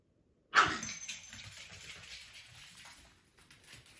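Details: A Staffordshire Bull Terrier puppy gives one sharp, high yelping bark after a moment of silence.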